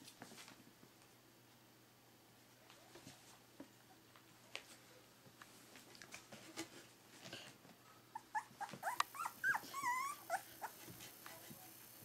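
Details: Litter of three-week-old Berger des Pyrénées puppies, mostly quiet rustling at first, then a run of thin, wobbling whimpers rising and falling near the end, with a steady high hiss in the background.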